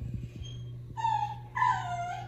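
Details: Pet dog "talking" while a person chats about plants: two drawn-out, moaning whine notes about half a second apart, the second louder and slowly falling, over a steady low electrical hum.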